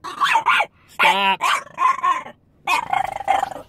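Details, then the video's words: Upset French Bulldog protesting after his owner went into a store: harsh short barks run into growly, moaning grumbles in three quick bursts, with brief pauses between them. "Our Frenchie is upset his mom went into the store."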